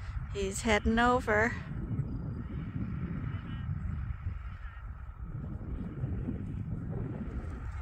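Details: Sheep at Ewetopia Farms in a morning pile-up, waiting to be let out to fresh pasture for the first time this year. One loud, wavering bleat of about a second opens the clip, then a steady low rumble of wind or machinery.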